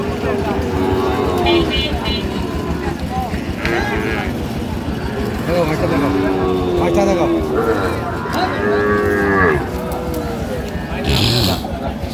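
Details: Cattle mooing at a Madaripur cattle market on 26 March 2025, where a farmer buys a Sahiwal bull calf; several drawn-out, harmonic moos rise and fall in the middle of the clip over constant crowd chatter and vehicle noise.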